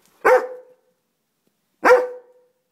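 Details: A Dobermann gives two short, sharp barks about one and a half seconds apart, each a loud burst that falls away quickly, with silence between them.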